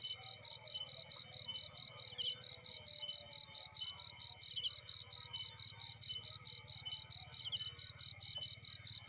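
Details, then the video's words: Cricket chirping in a field beside a burning fireplace: a high, shrill chirp pulsed steadily about four times per second without pause, over a faint low crackling rumble from the fire. "Burning with Cricket Sounds"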